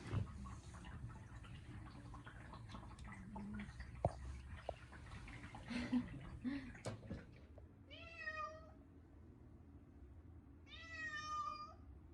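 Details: Short-legged Munchkin cat screaming loudly during its first bath in a year, indoors on a hot day; after a stretch of splashing and handling noise, two long harmonic wailing meows ring out about three seconds apart.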